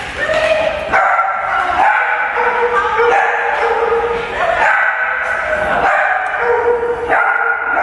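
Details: Several puppies playing together at a daycare, socializing with other dogs and people; repeated high whining yips and short barks overlap continuously, with tonal whines rising and falling throughout.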